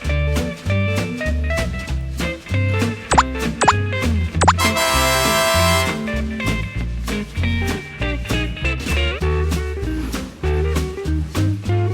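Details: Swing-style guitar music with a bouncing bass line fills the recording, without any animal sound.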